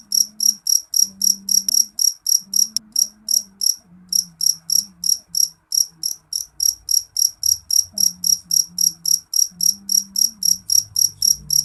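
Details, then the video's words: Shrill calling from a jeliteng cricket: a long, even train of bright, high chirps at about four per second, briefly pausing once, with a quiet low hum in the background. "Suara jangkrik jeliteng nyaring"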